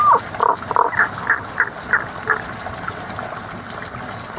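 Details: Unseen frogs singing in a season-only chorus near an open-air café in Japan: a series of about eight short, tonal mid-pitched notes, roughly three per second, fading steadily in loudness, over a soft steady background hiss.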